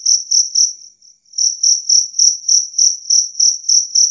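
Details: Two-spotted cricket (jangkrik kalung) chirping loudly and clearly, a recording meant to repel rats. Shrill, regular pulses fade briefly near the first second, then resume at about four per second.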